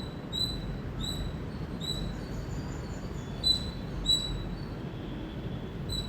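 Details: Series of piercing high chirps from an Indian squirrel, delivered roughly every half second and a little irregular, over faint steady background noise.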